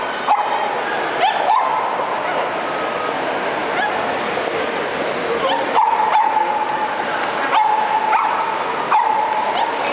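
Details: A Cavalier King Charles Spaniel in the UK whines in a thin, steady, high-pitched tone, with brief yips between.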